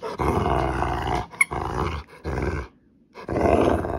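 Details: A female Rottweiler, a pet indoors and in a mood during play over a toy, growls in long rough rumbling bursts of about a second each, separated by brief pauses, with one short silent gap before a final growl.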